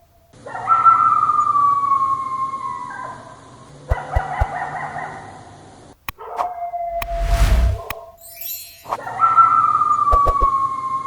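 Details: A Yorkie howls in long, sliding, wavering notes. Sharp clicks and a loud burst of rushing noise break in midway, and the howling returns at the end.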